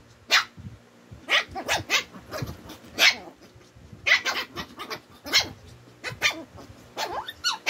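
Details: Two twin Shih Tzu dogs squaring off and getting annoyed with each other: a rapid back-and-forth of high, sharp yaps, about a dozen in under eight seconds, with short rough growly sounds between barks.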